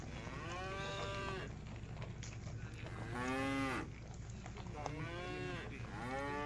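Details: Village cattle, tame and herded back to their pen as a group, give four drawn-out moos about every one and a half seconds, some deep and some higher, overlapping slightly.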